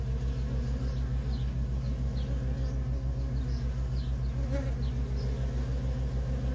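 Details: Continuous humming traffic of worker bees at a feral honey bee colony, a rhythmic, even low drone with a short brighter buzz about two-thirds through.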